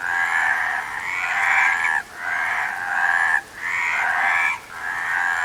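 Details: Frogs calling in a dense chorus: overlapping rattling, trilled croaks pour out in long bursts of one to two seconds, broken by short sudden pauses, with several voices layered at once and no other sounds clear.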